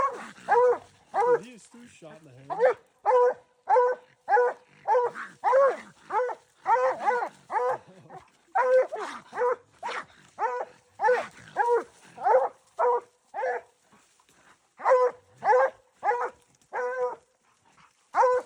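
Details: During a raccoon hunt, dogs bark in a long, rapid series of ringing, harmonic yelps, almost without pause. A human voice can be heard faintly beneath the barking.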